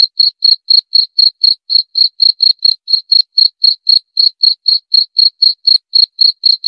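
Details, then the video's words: Cricket chirping steadily and loudly, short high pulses repeated about four times a second through the whole stretch, each pulse a clean bright tick, with nothing else audible behind it. "Suara Jangkrik"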